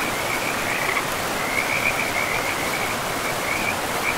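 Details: Frogs in a pristine forest beside a river: a steady chain of short, high trilled croaks pulses almost without pause, layered over a constant broad rushing of flowing water.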